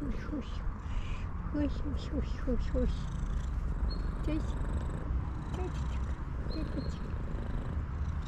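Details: Tuxedo cat, female, greeting her owner at home: soft, short chirping meows that rise and fall, repeated several times over a steady low purr, with a man talking quietly to her.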